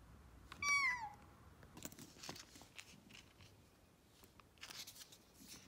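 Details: Rescued kitten, taken in urgently after nearly being hit by a car, gives a single short meow that starts high and slides downward, followed by faint rustling and scattered clicks.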